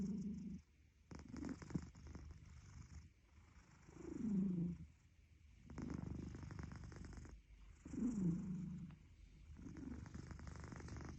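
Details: A sleeping cat snores steadily. A low, wavering hum swells roughly every four seconds, with softer crackling, rattly breaths between the louder phases.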